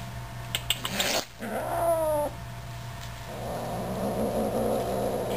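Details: A male F3B Savannah kitten, Ernie, gives a short, tense, tonal growl that slides slightly downward as he fearlessly confronts a bird toy, with people talking nearby.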